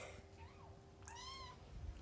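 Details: A litter of foster kittens nursing on their mother cat: a low, continuous rumbling purr underlies the whole stretch, with a faint short mew early and a clearer, level, high mew in the middle.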